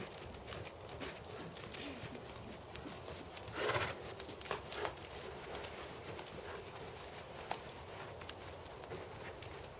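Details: Dressage work by Tobias, a black 7-year-old Percheron/Thoroughbred gelding standing 16.2 hands. Muffled clip-clop of hooves on footing repeats through the recording, with one louder broadband scrape midway and a hissing outdoor background.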